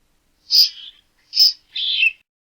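A squirrel gives three harsh, hissing bursts, each about half a second long.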